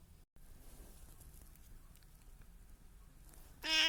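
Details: A domestic cat, one of three cats kept together at home, gives a single loud, bright, harmonic meow that is cut off at the very end, after nearly four seconds of quiet indoor room noise.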